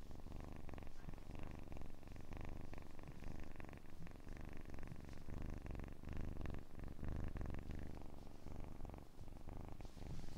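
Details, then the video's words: A kitten's purr holds an even, deep, fluttering vibration throughout, with no breaks, only slight swells in the rapid pulses against a quiet indoor background. "АСМР 60 Минут Мурчания / ASMR Kitten Mouth Sounds / Purring"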